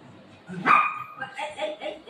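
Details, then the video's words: Golden retriever playing with its owner at home; one sharp high yip or short whine near the start with a bright tonal streak, followed by softer fainter vocal sounds and low room noise. "cute golden retriever dog playing with mom"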